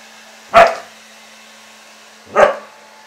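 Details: Two loud, abrupt barks about two seconds apart from husky Ari, freshly bathed and confronting a hair dryer whose steady hum fills the background.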